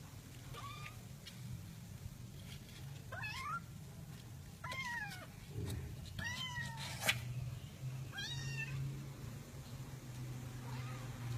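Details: Cats in a box giving repeated loud, drawn-out, wavering meows, about six calls every one to two seconds, with a sharp knock near the middle over a constant low background hum.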